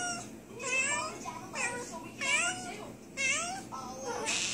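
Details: Female domestic cat named Tabby, recently spayed and suffering from an infection around internal sutures, voicing her pain indoors in a small room: about five drawn-out, wavering meows with rising-then-falling pitch, roughly one per second, little background noise.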